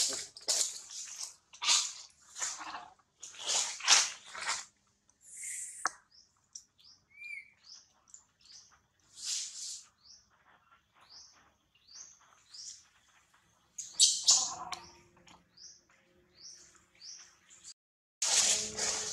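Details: Little monkey that has snatched baby Celine away from baby Calvin, amid a monkey troop; high, thin squeaks and chirps in rapid bursts, some loud clustered cries, with quiet gaps between.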